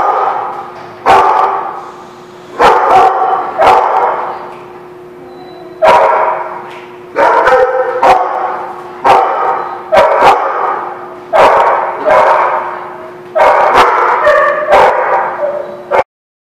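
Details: Repeated dog barks at a lot on 2/10/17. Abrupt loud bursts come in irregular clusters, separated by brief lulls, over a continuous humming background.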